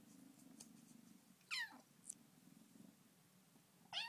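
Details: Bengal kitten named Dilly, settling into her new home, talking: a short, sharp, downward-sliding meow, a brief squeak, then another meow at the end, over a steady low purr indoors.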